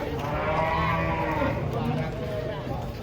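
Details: Cattle being unloaded from a truck, destined for qurban sacrifice: a long, low, harmonic moo holds steady for about three seconds, with men chattering and background bustle.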